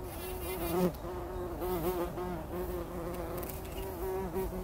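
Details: Bumblebees rolling in poppy blossoms in early morning before sunrise, taking a pollen bath; a steady low droning hum with rich overtones wavers in pitch and swells as bees move, with faint bird chirps early on.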